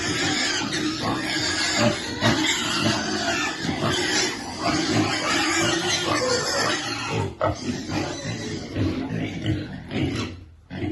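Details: Young piglet waiting to eat, uttering harsh squeals and grunts at a brisk, uneven pace, with a brief lull near the end before the calling resumes.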